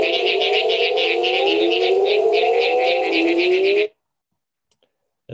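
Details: A Mexican burrowing toad call, played back in a talk about the Calakmul Biosphere in Mexico, gives a deep, drawn-out moaning sound that slides upward, with buzzy overtones.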